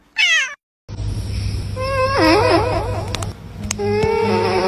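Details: Cats in a funny compilation: a brief high meow opens, then after a pause come wavering, drawn-out meowing cries over a steady low hum, with sharp clicks and thin tonal sounds near the end.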